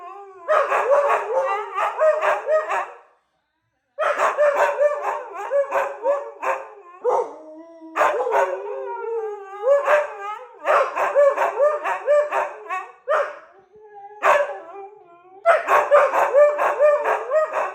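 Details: Siberian huskies in a morning howling session, a wake-up routine: wavering, yodelling howls and woos in rapid bursts, pitch sliding up and down, overlapping voices with brief pauses, loud and continuous through most of the recording.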